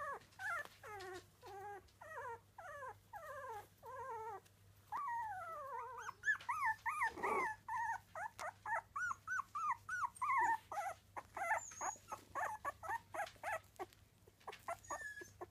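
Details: Three-week-old Miniature Dachshund puppies whine and squeal in rapid, wavering, high-pitched bursts.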